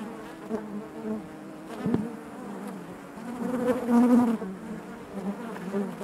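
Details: Honey bees buzzing inside their hive: a steady layered drone with strongest bands low and around mid pitch, swelling louder near the fourth second, with faint clicks of bees moving against the comb.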